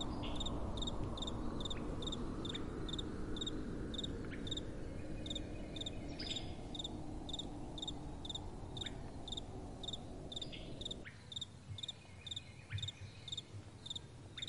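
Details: Crickets chirping at night, steady high pulses repeating a little over twice per second. Gentle wind rumbles underneath, then drops away sharply after about eleven seconds, leaving the chirps clearer.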